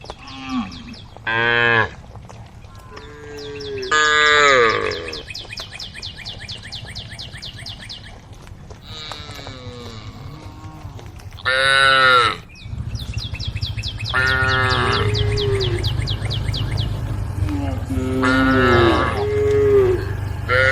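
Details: Tame cows on a road, a herd calling: short and long harmonic moos scattered over twenty seconds, some wavering, with a steady low engine-like hum running beneath the second half and faint high chirping.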